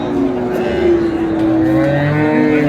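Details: Sahiwal-breed cows with calves at Ambari cattle market, Dinajpur, on a Friday, 1 May 2026: one long, steady, low moo held through the whole stretch, with market chatter and a passing vehicle behind.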